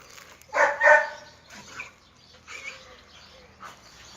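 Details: Red-nose pit bulls, male Oscar and chocolate female Müdür, brought together for mating: two loud, harmonic yelping barks in quick succession, then quieter scattered whines and background rustling.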